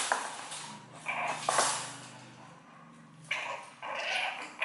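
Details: Two-month-old French Bulldog puppy giving a low, droning, whiny grumble over the first three seconds, mixed with breathy snuffling bursts and rustling.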